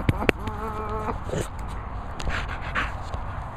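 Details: Milo, an elderly pensioner Staffordshire Bull Terrier, gives one short, steady, tonal whine lasting under a second. Scuffling, handling noise and a low background rumble follow, just after a person coaxes him to come.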